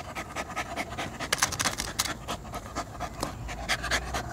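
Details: Furry poodle panting hard and fast, rapid breathy bursts in an uneven rhythm, louder toward the end, with a person calling it over just afterward.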